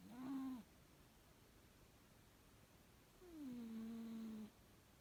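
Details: Sleeping pet cat M-san snores at bedtime: a short humming snore, then after a pause a longer drawn-out one that starts slightly higher and settles onto a steady low tone.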